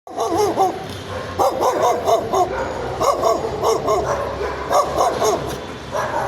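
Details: Dog barking loudly and persistently, recorded as an annoying dog voice: rapid clusters of short, sharp, yappy barks with quick wavering pitch, bursts of three to six barks separated by brief pauses, continuing throughout.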